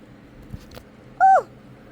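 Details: Ruby, a pretty calico kitten found in a corn field, during her morning ritual indoors: one short, clear meow that starts level and drops at the end, with a few soft clicks and thumps before it.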